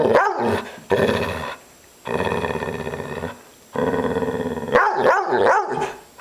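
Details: Maggie, a pet dog described as upset, holds long, steady rumbling growls in separate stretches of about a second each, ending in wavering, rising-and-falling vocal whines.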